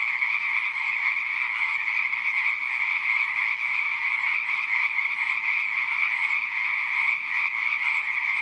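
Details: Many frogs call together in a pond in a dense, steady, buzzing chorus that never pauses.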